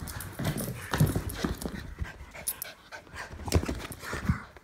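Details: Jack Russell Terrier mutt and English Bulldog play-fighting: low, rough rumbling growls in short bursts, mixed with panting breaths and soft scuffling thumps of paws and bodies.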